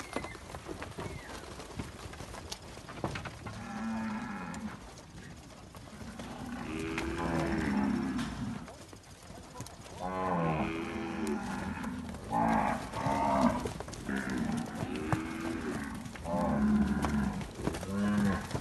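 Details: Several Nelore calves, Quarie Col progeny, at Fazenda Barão, Amaralina, Goiás, calling in a busy chorus of overlapping moos, some rising and wavering, nearly continuous from four seconds to the end.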